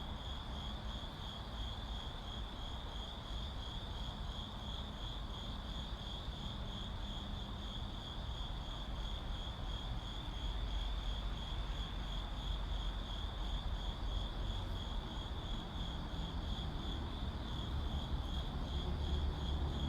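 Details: In a city soundscape, crickets keep up a constant shrill, faintly pulsing trill for the full span, while low traffic rumble grows louder in the second half.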